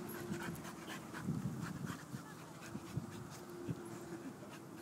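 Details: Alaskan Malamute Shakti, 18 months old, playing with a buddy in a dog park; quick rhythmic panting breaths in short bursts over steady low background rumble.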